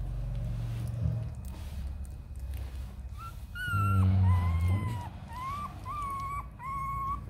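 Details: Purebred Rottweiler puppies just over a week old, starting to toddle and about to open their eyes: a string of thin, high whines, some rising, others dipping, coming in short repeated bursts in the second half over a steady low hum and room noise.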